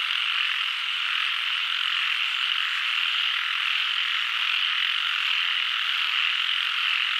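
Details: Dense chorus of frogs, countless overlapping high trills merging into one constant ringing hum with no gaps.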